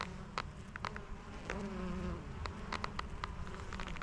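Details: Honey bees working white lavender for nectar and pollen, giving a low continuous buzzing drone with scattered sharp clicking and creaking of leather gloves over it.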